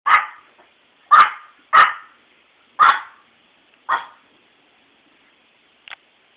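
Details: Chihuahua barking at its first meeting with a snake: five sharp, high yapping barks spaced about a second apart, then a faint sixth yip after a pause; no other sounds.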